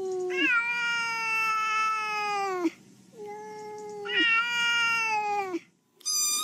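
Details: Domestic cat meowing in a compilation of funny cats: two long, steady, drawn-out meows of about two seconds each, with a brief higher squeal at the end.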